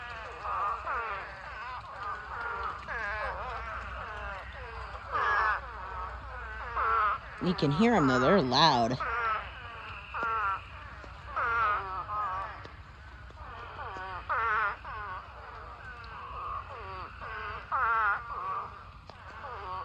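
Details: Spadefoot toads in a huge mating swarm, thousands filling a pond: a dense chorus of overlapping wavering, moaning calls, each about half a second long, with a brief loud burst of a human voice near the middle.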